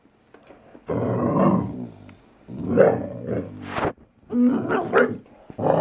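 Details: Valley Bulldog Archie, just over three years old, growling and snarling while playing: rough, low bursts of about a second each separated by short pauses, with a sharp click near the middle.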